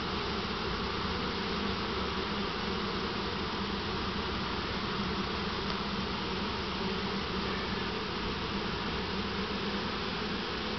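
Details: A dense, steady hum of many honey bees buzzing together as a swarm being moved from a swarm trap into a single deep hive on 2 April 2012; the bees did not like the hive.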